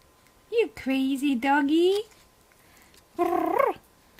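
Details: Pet dog making its unusual, strange-sounding howl indoors: wavering, moaning tonal cries that slide up and down, a long wobbling yowl followed by a shorter rising-then-falling wail.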